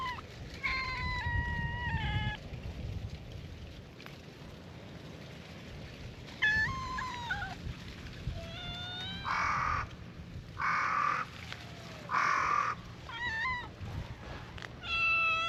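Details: A chorus of stray cats at a cat-island gathering welcoming a visitor: repeated high meows, some steady and some wavering, scattered across the stretch. Three harsh crow caws cut in near the middle, and soft rustling continues throughout.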